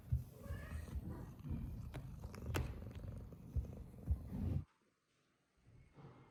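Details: Cat at a shelter set up in a closed-down school in Japan, purring with a low, steady rumble for about four and a half seconds before the sound cuts abruptly to near silence, with faint room noise returning at the end.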